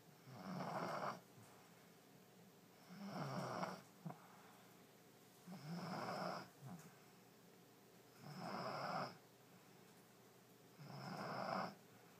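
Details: Sleeping French Bulldog Allie, totally zonked in her new bed, snores steadily: five rasping, rumbling breaths about every two and a half seconds, evenly spaced with quiet gaps, in a small indoor room.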